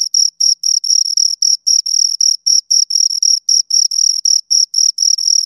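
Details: Two crickets give clear, high, ringing chirps in quick succession, each pulse short and sharp, repeating just under four times per second; nothing else audible.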